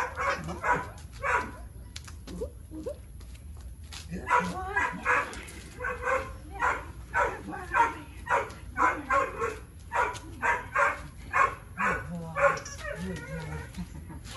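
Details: Tyrion, a three-year-old male Boxer with low food drive and high prey and play drive, during engagement training: rapid, irregular sharp barks about twice a second, with a few tonal whines and a low background hum.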